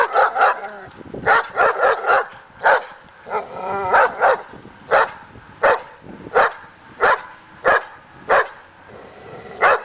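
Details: Dog in agitation table training meant to raise confidence and barking; quick barks in clusters early, a short whining tonal yelp, then single barks spaced roughly every half second to second.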